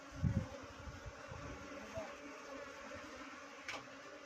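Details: A honey bee swarm near a village, giving a continuous low hum with layered steady tones, plus a few low thumps at the start and a short high tick later on.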